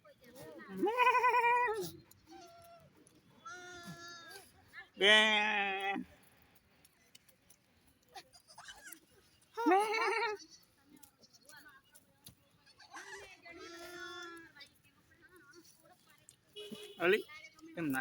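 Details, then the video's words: Mini goats and baby goat kids on a goat farm: loud, wavering bleats in several separate bursts a few seconds apart, with a man talking in Gujarati between them. "mini goats and big goat baby"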